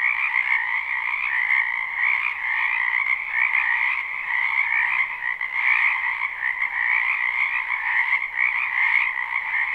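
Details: Many frogs croaking at once in a wetland during spring, recorded live: continuous overlapping trills form a thick, even drone with high and middle bands, small swells in loudness, no gaps and nothing else audible.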